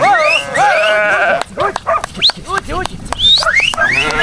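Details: Sheep being bathed on Vlašić mountain: loud quavering bleats from several animals overlap, some rising and wavering, others short and clipped, following one another rapidly.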